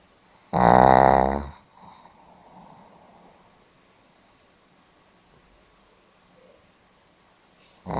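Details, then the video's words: Pomeranian dog asleep, recorded 8 November 2015: one loud rasping snore lasting about a second with a strong buzzy vibration, followed by a soft exhale and quiet room, and the next snore beginning at the end. "ポメラニアン 犬のいびき"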